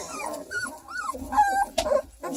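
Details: Two-week-old purebred Redbone Coonhound puppies under a heat lamp give thin, arching squeaks, whimpers and whines, with a person talking softly nearby.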